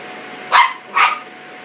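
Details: Toy Poodle that hates the vacuum cleaner, barking at it while backing away: two short, sharp barks about half a second apart, with a steady high electrical whine behind them.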